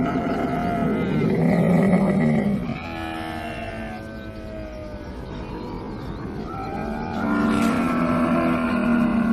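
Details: Camel giving a long, gurgling groan built of stacked harmonics, louder at the start, dipping to a quieter rumbling middle, then swelling again near the end; deep, throaty, continuous.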